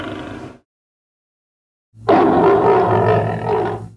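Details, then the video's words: Lion, edited: the tail of one growl, a silent cut, then a loud, deep, grating roar of about two seconds with a steady low rumble underneath, ending abruptly. "Lion (Wild Beasts) Sounds"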